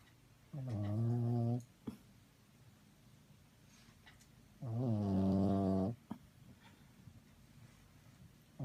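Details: Dog snoring while asleep: low, droning harmonic snores lasting about a second each, repeated roughly every four seconds, with brief clicks and small snorts between breaths in a quiet room.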